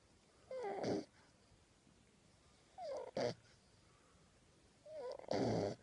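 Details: Jude, a 10-week-old French Bulldog puppy, sleeps with his tongue sticking out and wiggling. He snores three times, about every two and a half seconds. Each snore opens with a thin, falling whistle and ends in a broad, rasping burst.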